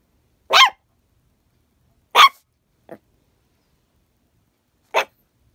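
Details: A female Chihuahua puppy who rarely barks gives sharp, high yappy barks at geese she hears on the lake outside, spaced out with a small soft yip between.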